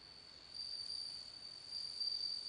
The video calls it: bell cricket singing